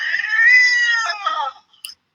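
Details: A defensive domestic cat, backed against a wall with whiskers flared, gives a mild growl growing louder into a drawn-out, tense, wavering yowl-growl meaning "get away from me"; it could attack.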